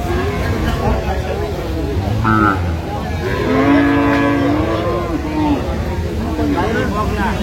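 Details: Dairy cow at the Aftabganj cattle market, Dinajpur, Bangladesh, on market day, 17 June 2025. A flat, drawn-out lowing of about two seconds sits mid-clip, with a shorter higher note before it, partly covered by men talking and crowd noise.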